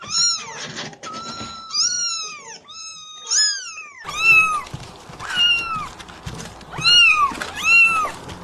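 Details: Newborn kittens mewing in quick succession: thin, high, arching cries that rise then fall, around a dozen across the stretch, some overlapping, with faint soft thumps behind.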